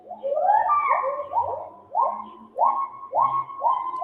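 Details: Agile gibbon great call played back in a talk on Malaysia's small apes: loud whistled hoots rising in pitch, each note sweeping upward, repeated roughly every half second in a quickening series.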